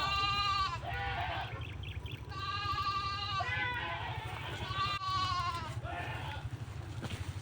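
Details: Herded goats grazing near a farmed plot, young ones trailing their mother; several strong, tremulous bleats follow one another about every one to two seconds, each dropping in pitch at the end, over a constant low hum.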